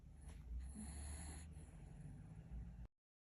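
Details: Sleeping, dreaming pet dog snoring: a low, rumbling, breathy snore drawn out for nearly three seconds, with a faint steady high-pitched electronic whine in the background before the sound cuts off.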